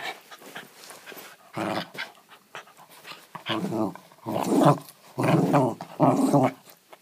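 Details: A pet West Highland White Terrier indoors growls while it wants to play but won't give up its ball; rough, throaty growls in bursts of about half a second to a second, repeating, with a person's voice also heard.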